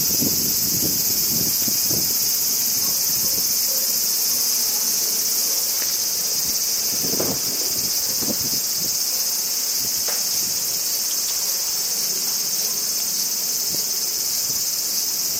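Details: Crickets chirp in a Japanese summer as an unbroken high, buzzy wall of sound, with a few light rustles and wind puffs early on, then a calm, steady chorus to the end.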